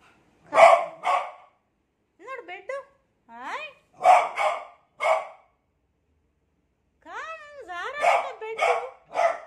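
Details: Beagle scared of a new cot: pairs of harsh barks alternating with wavering, rising howl-like whines, all indoors.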